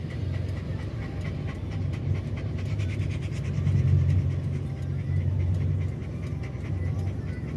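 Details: Stressed pet dog panting while a tyre is changed amid noise outside: rapid, breathy, rhythmic pants about four per second, steady throughout, over a low rumbling background hum.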